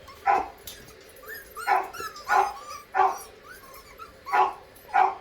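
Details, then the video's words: Recorded dog barking played back to miniature schnauzer puppies: short, sharp barks repeated roughly every half second to second, with thin, high squeaky whines slipping in between them. "and also they get the dog barking sounds today"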